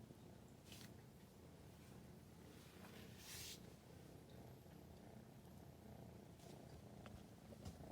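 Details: Four-month-old female British Shorthair kitten rolling belly-up while chasing an LED pointer for the first time, filmed November 2019; steady low continuous purring rumble with a few brief rustling scratches.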